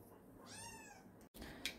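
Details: Young kitten indoors at breakfast time, giving one short arched meow that rises then falls, followed by a brief click and household rustling.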